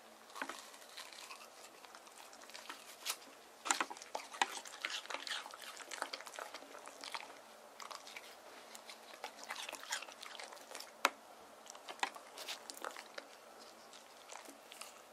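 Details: Deokgu, a male white terrier born on 19 April 2018, munches watermelon on a hot summer day. Steady wet chewing with crisp crunches keeps up, and a few loud bites stand out in a quiet room.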